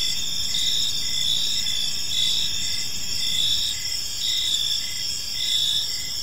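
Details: Crickets in a serene park during the evening, a steady wall of bright, ringing trills with a short chirp repeated almost every second, gently swelling and fading; distant low hum underneath.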